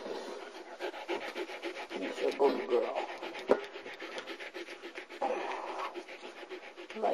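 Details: Female German Shepherd puppy, about four months old, from a Florida kennel litter, recorded 5 November 2009: rhythmic, rasping panting, roughly three or four breaths a second, while a woman softly praises her.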